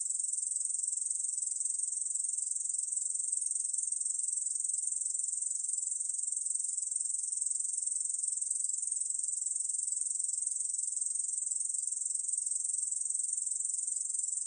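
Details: Ussur brown katydid, 2020 National Institute of Biological Resources recording, producing a sustained, very high, hiss-like trill at constant volume for the whole stretch, nothing else audible.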